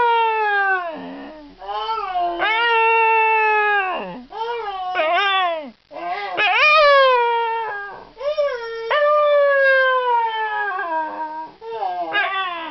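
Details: Basil the Scottish Terrier vocalising a talking howl meant as a hello: near-continuous, yodel-like howls that dip sharply then climb, repeated in connected phrases of one to two seconds, harmonics strong, room otherwise quiet.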